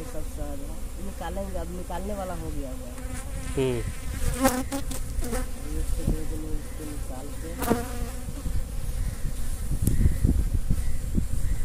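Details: Honey bees at a managed hive during beekeeping work: a steady, low, droning hum of many bees throughout, a man's voice speaking over the first seconds, and scattered sharp handling clicks.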